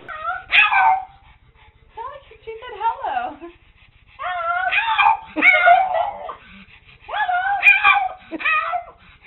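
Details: Pet dog 'talking' at home: short bursts of whiny, harmonic yips and howl-like moans with bending, rising-and-falling pitch, grouped into phrases separated by brief quiet gaps.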